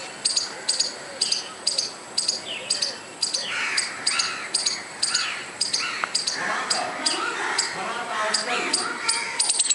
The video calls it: squirrel making noise without any reason